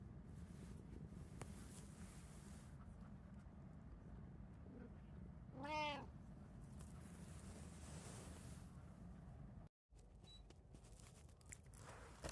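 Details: One of three pet cats at home, a tabby, Munchkin or Abyssinian, gives a single clear meow near the sixth second, its stacked harmonics bending up then down, over steady low room hum with a brief dropout later.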